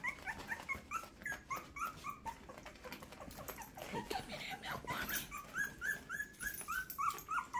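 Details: Two-week-old Miniature Schnauzer puppies from a first litter give streams of high, squeaky whimpers, short slurred notes several times a second, as they walk toward their mother seeking milk, while a woman talks over them.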